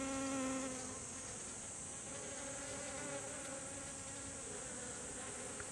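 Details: Honeybees gathering in a group at kumquat blossoms in a garden, seeking nectar, give a steady, low, humming buzz from their beating wings.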